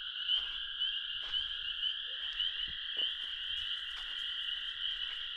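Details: Toads singing among sand piles in an old sand pit at dusk on a warm spring evening, 15 April 2023, give long, steady, high musical trills that run on without a break, with spring peepers chorusing nearby.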